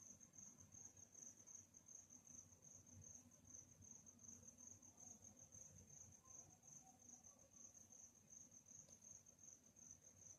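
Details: Nighttime cricket chorus: one continuous high-pitched pulsing trill holds steady from start to finish, with faint low ambient rumble beneath and no other clear sounds.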